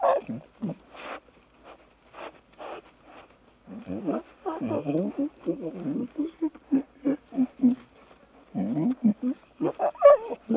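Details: Playful young lion cubs in the wild frolicking and bonding: a busy run of short, rough, harmonic mews and growly squeals, coming in quick bursts and clusters, louder and denser in the second half.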